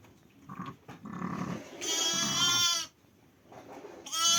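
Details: A sheep at lambing on 5 January gives one strong, trembling, nasal bleat lasting about a second, after soft rustling and low murmurs, and a second bleat starts at the very end.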